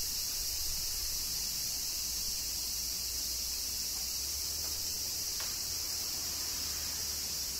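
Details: Cicadas in Kyoto, Japan, during summer rain, a dense high-pitched shrilling drone that holds steady and unbroken throughout, with a low rumble underneath and a couple of faint tapping sounds.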